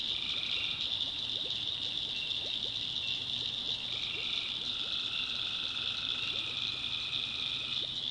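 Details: Night chorus of tree frogs in North Carolina backwoods: constant high-pitched shrilling, overlaid by lower buzzing trills lasting one to three seconds, with a faint low hum underneath.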